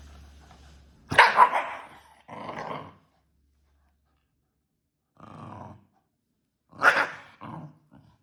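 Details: A Shiba Inu showing food aggression, with serious biting: sharp, harsh snarling bursts and a loud bark-like snap, with short rough growls in between and pauses of silence.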